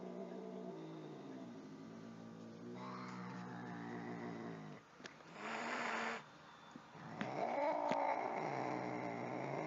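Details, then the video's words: Angry cat with a sustained low throaty growl that swells into a rising yowl near the end, interrupted by a burst of hissing. "Angry Cats Meowing"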